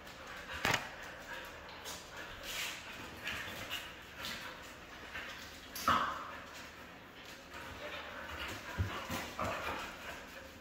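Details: Red female Siberian husky giving a few sharp, abrupt barks or yelps spaced several seconds apart, with softer whimpering and whining sounds in between, over a background of indoor noise.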